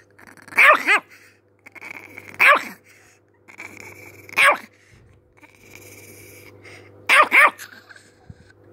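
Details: Chihuahua barking angrily: high, piercing double yaps repeating about every two seconds, with a faint whine between bursts and a steady background hum.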